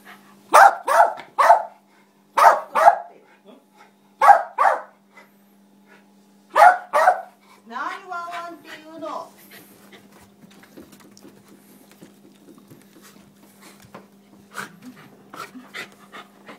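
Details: Westie named Nitaro barking in quick bursts of two or three sharp barks, then a wavering whine-like vocalisation, then a fading run of quiet clicks over a low steady hum.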